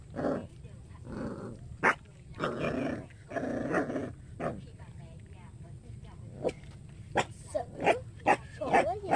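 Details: Baby dog yapping repeatedly in irregular short barks, some clustered in quick succession, mixed with a person's Vietnamese speech and steady low hum.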